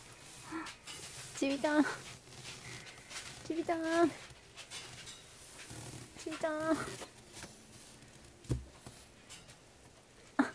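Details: Sleepy baby Asian small-clawed otter, hand-reared around the clock at Ise Sea Paradise aquarium after its birth on 10 April 2017, drowsing off after play. Soft, wavering mid-pitched whimpers come in short uneven bursts every couple of seconds, with low room noise.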